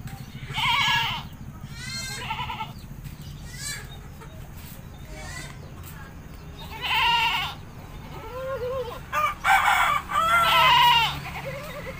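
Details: Goat being bathed in a village, giving four loud wavering bleats spread across the stretch, each quavering and harmonic-rich, separated by quieter gaps over a steady low background hum.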